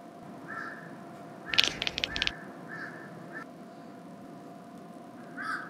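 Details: Devon Rex cat chattering at crows it has spotted, a rapid burst of clicking pulses, likened to a machine gun, lasting under a second, with repeated crow-like calls in the background.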